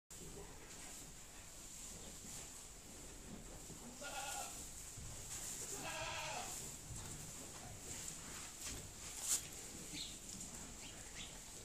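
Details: Pedigree dairy goats resting in their shed in October give two wavering, harmonic bleats about two seconds apart, the second longer and shakier, over a steady high electrical whine and low barn rumble.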